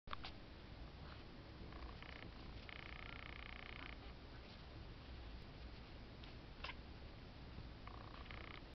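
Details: Three-week-old Exotic Shorthair kittens, blue-and-white and black-and-white males, giving short, thin high mews in bursts over a steady low room hum, with quiet gaps between calls.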